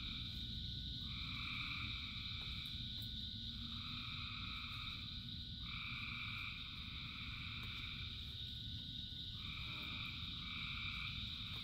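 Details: Frogs calling in their thousands during rain, a continuous ringing chorus with brighter trilled bursts rising and dropping out every two to three seconds, set against constant rain noise.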